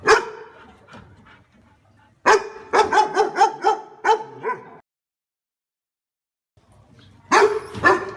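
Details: Dog barking on seeing a stranger: a single bark, then a fast run of about six barks, a silent gap, and another short burst.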